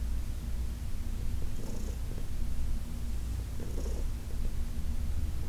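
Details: Low, steady purring from Heidi, an older rescued cat being massaged, with two faint breathy swells over a few seconds against the constant rumble.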